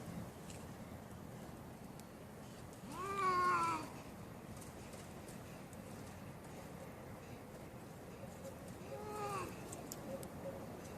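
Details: Domestic cats fighting: two drawn-out harmonic yowls, the first loud one around three seconds, arching up then sliding down, a softer rising-falling wail near nine seconds, over a steady background hiss.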